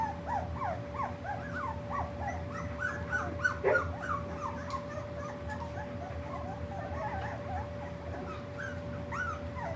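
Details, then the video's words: Several three-week-old puppies whimper and squeak continuously in short, high, rising and falling cries that overlap one another, with one brief louder squeal near the middle and a constant electrical hum underneath. "pups 3wks"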